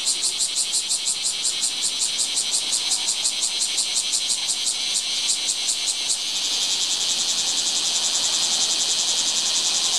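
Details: Bear cicada singing in a chinaberry tree on 7 August 2017: loud, harsh pulsed buzz throbbing about three times a second, then merging into a continuous shrill drone.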